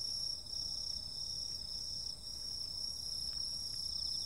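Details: Summer-night insect chorus of unbroken shrill trills at several high pitches, joined by a lower rapidly pulsing buzz and scattered brief ticks over faint low background noise.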